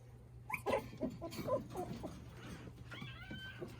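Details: Shiba Inu puppies, litter born 23 September to the dam Fuuka at a breeder, play-fighting together: short squeaky yelps and growly bursts in quick succession, then a thin whine that rises and falls, over a low steady hum.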